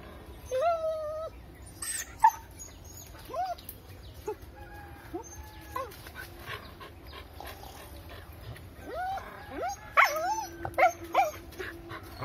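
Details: Dog trying to drive a monkey out of its area, giving a series of high, crying whines and short yelping barks, some with rising or bent pitch, scattered over the recording; faint whistling and background noise between calls.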